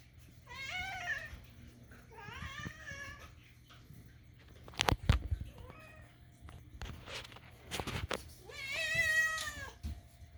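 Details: Pet cat begging for food indoors with odd kitten-like meows. There are three drawn-out, wavering meows, about a second each, with clatter and tapping between the second and third.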